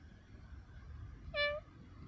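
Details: Ragnar the cat playing in a bush outdoors gives a single short, clear, steady-pitched meow lasting under half a second, over a quiet background hiss.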